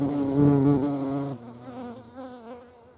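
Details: A hornet at a feeding place gives a loud, deep, steady droning buzz that suddenly drops away after about a second and continues as a quieter, wavering hum.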